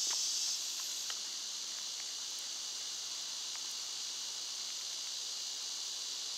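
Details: Summer cicadas drone on in a constant shrill buzzing wall of sound, dipping slightly in loudness after the first second, with occasional soft ticks and rustles.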